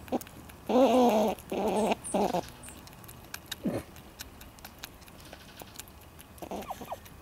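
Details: A squirrel sits at a front porch bird feeder, taking seed while the birds wait. It gives whiny, crying calls: two long wavering bursts close together near the start, then a short downward note and soft trailing sounds.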